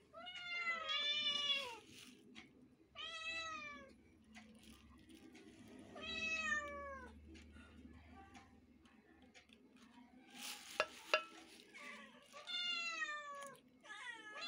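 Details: A household family of cats meowing; clear repeated meows arching up then down, about one every two to three seconds, over low room hum with a few knocks and faint voices.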